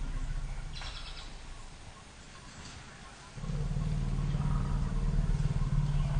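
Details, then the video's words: Two African elephant families, Pia and Noor with 2-year-old calves Pia V and Noor V, huddling after a sitatunga startles them: quiet background at first, then a sustained low, throbbing rumble begins midway and continues to the end. "Scared Elephants"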